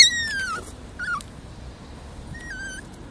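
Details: Puppies squeaking outdoors on their first walk, afraid of being outside: thin high whistling whines that slide downward, three short ones over a few seconds, above a low steady background rumble.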